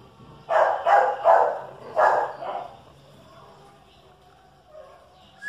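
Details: Chihuahua and dachshund facing off, a domestic dog giving a quick burst of four sharp, mid-pitched barks in about two seconds, then falling quiet, with a faint short whistle-like note at the end.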